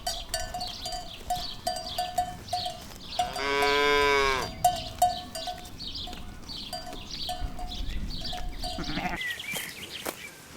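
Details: A single bellowing moo rises midway through, heard among cows foraging for food on a meadow, over a steady, repeated clank of cowbells and scattered bird chirps.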